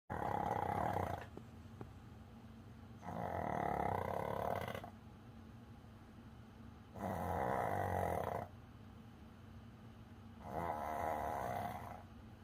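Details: Coco, a tired Pomeranian, snoring while asleep indoors: four loud rasping snores, each about a second and a half long, come roughly every three and a half seconds, with near silence between them.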